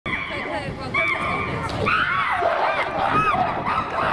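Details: Chimpanzees getting rowdy in their enclosure at Twycross Zoo, 2018–2019, the group fired up and noisy: rising, wavering harmonic screams and hoots swell over a steady babble of visitors' voices.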